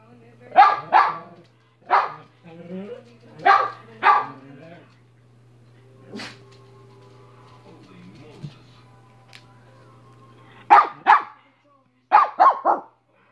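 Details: Minnie the dog barking in short clusters of two or three sharp, loud barks, about nine in all, with a long quiet gap midway; a steady low hum runs underneath.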